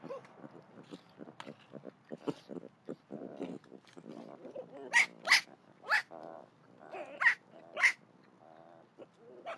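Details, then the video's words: Unhappy baby javelina squealing: soft scattered grunts and scuffles build into loud, sharp, piercing squeals at irregular intervals of about half a second to a second. "If you have never heard what a baby javelina sounds like, now is your chance!"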